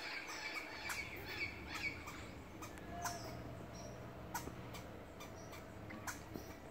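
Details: A squirrel scolds a person in its tree, snapping out abrupt, raspy barks at an uneven pace, some louder than others, over steady outdoor background noise; the animal eventually bit the intruder's finger.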